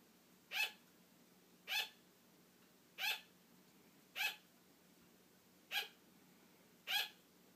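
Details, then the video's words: Female sugar glider kept as a pet barks for attention when her owner starts to fall asleep; six brief, bright yaps repeated about every 1.2 seconds over a quiet background. "Sugar glider barking for attention"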